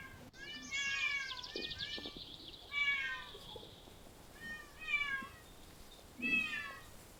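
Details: Stray cat living outdoors in parks and streets, giving a run of drawn-out, slightly falling meows, several close together early on, then two more spaced meows after a pause; faint background rustling.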